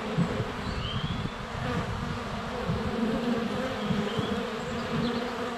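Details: Honey bees in flight at a hive entrance on a sunny day in February, captured with a GoPro Hero 7 Black less than a foot away; a thick low buzz throughout, with short whistled birdsong notes above it.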